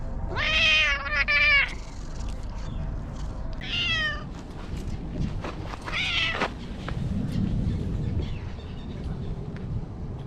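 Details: Chatty stray cat greeting someone who strokes it. It opens with a long, drawn-out meow, then gives two shorter rising meows a few seconds apart. Low outdoor rumble sits underneath.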